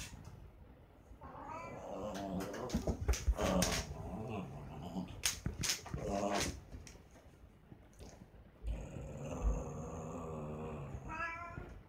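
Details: A cat fight with drawn-out, quavering yowls and low growls. Sharp knocks and scuffling break in around the middle, then a quieter lull, before wavering yowls rise again toward the end.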